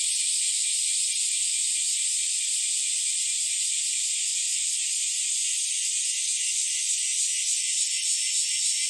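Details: Early summer morning chorus of bear cicadas and Nii-nii cicadas, July 2023: a thick, high, rasping drone that never pauses, with a thin whining tone appearing over it near the end; nothing else audible.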